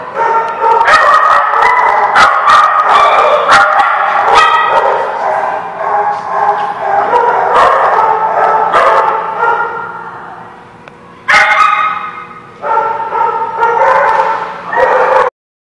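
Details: Continuous dog barking recorded 8/12/16 at The Barking Lot: rapid, overlapping barks and yips, several sharp louder ones, a brief lull near eleven seconds, then more barking before it cuts off abruptly.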